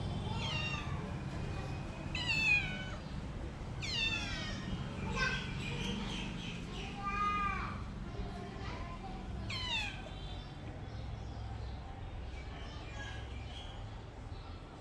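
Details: Pet cat meowing repeatedly, about six drawn-out harmonic meows with falling pitch in the first ten seconds, then quieter, over low household hum.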